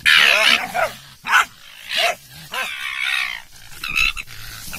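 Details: German Hunting Terrier in a fight with a raccoon dog that plays dead now and then; a long raspy opening bark, then shorter harsh yelping barks spaced about a second apart, with gruff noise between.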